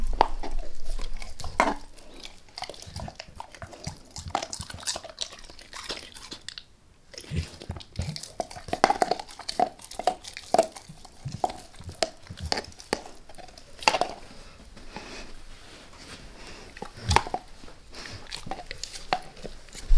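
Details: A dog named Max works on a beef rib without any voices around: scattered crisp crunches and gnawing clicks come in irregular bursts, and a brief quiet gap falls partway through before the steady chewing resumes.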